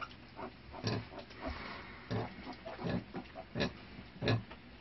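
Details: Sow with her first litter of newborn piglets, kept as farm livestock: low, soft grunts and snuffles come in short irregular bursts about every second, over background rustling.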